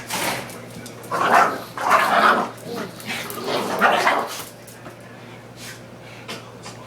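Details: Two young pet dogs, a pug and a pitbull/ridgeback mix about five months old, play fighting or boxing indoors: rough breathy growls and scuffling bursts in a cluster, then quieter snuffling, over a steady low electrical hum.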